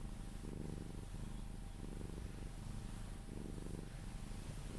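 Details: Sphynx cat purring while being cuddled, purring until it falls asleep; a steady low rumbling purr with a gentle rhythmic swell about every second, close and continuous with faint background hiss.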